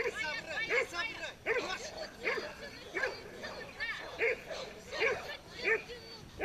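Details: Pit bull at a tug-of-war dog show gives short, harsh barks, repeated about every 0.7 seconds, over steady crowd chatter and nearby voices.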